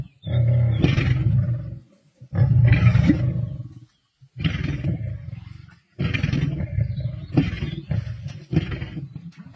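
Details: Male lions feasting on a kill with a pride in the wild, Sabi Sands, 31 March 2024; deep rumbling growls in four long bursts of about two seconds each, separated by short pauses.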